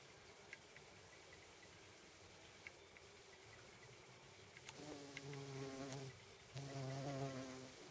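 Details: Hoverfly on a lettuce flower, filmed in macro: two low droning hums with layered overtones, each lasting about a second, rising from a quiet background with faint clicks.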